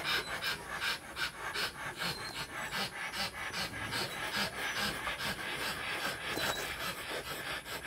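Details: Rottweiler during mating, rapid hoarse panting at roughly two and a half breaths per second, airy and noisy, continuing evenly without pause over a low background hum.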